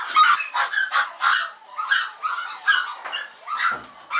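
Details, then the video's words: A Yorkshire Terrier at a Maltese and Yorkshire terrier breeder, recorded 16 November 2012 at 21:51, yaps in rapid, high-pitched barks, several each second. "헤르젠 요크셔테리어 (HERZEN REIN YORKSHIRE) - 청. 음소거 추천;;"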